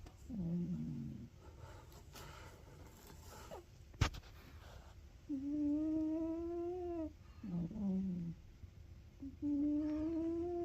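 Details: Ragamuffin cat asleep and snoring indoors, drawn-out humming breaths alternating short falling exhales with long, slowly rising inhales every three to four seconds; a single sharp click sounds partway through.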